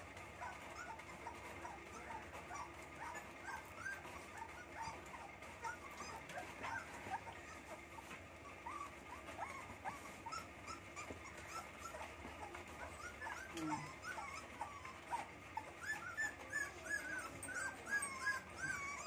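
Rottweiler puppies whine and squeal over one another in high, thin, wavering cries.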